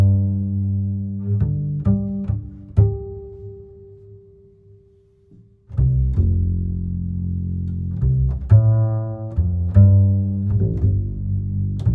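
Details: Plucked and bowed double bass music with deep low notes, a pause midway, then resumed plucking; no animal sounds.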